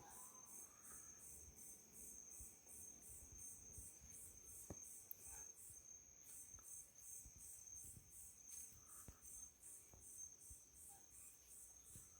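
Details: Crickets calling at night on a small farm in Itariri, Brazil, with frogs and toads also said to be present: a steady, high, pulsed trilling chorus runs throughout, over faint low rustling and a few soft clicks.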